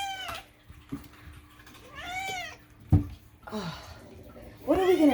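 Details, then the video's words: Indoor domestic cats giving repeated drawn-out meows, each a harmonic wail that dips and rises, three in quick succession, with soft thumps and a faint steady hum in the room. "is all this unhinged meowing truly necessary?"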